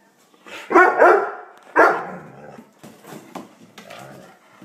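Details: Doberman dog barking twice, loud and harsh about a second apart, followed by softer muffled vocal sounds and light knocks indoors.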